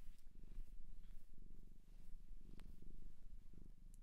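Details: Domestic cat adopted from a shelter in Japan, purring indoors: a steady, low, rhythmic throb of rapid pulses that swells and eases with each breath, with a few faint soft rustles and no voices.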